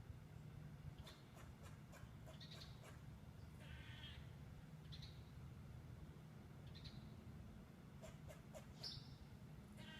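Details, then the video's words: Red squirrel alarm call given on spotting a potential predator nearby, a pet cat, which both survived unharmed: short harsh chattering bursts and scattered high clicks repeated irregularly over a steady low rumbling background hum. "Voice of a Squirrel - Sincap Sesi"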